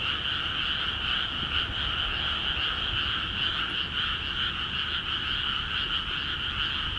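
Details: Frogs calling in earnest across newly watered rice paddies of Akiha Ward; a thick continuous chorus of rattling trills holds steady in level, shimmering with quick pulses over a soft low rumble.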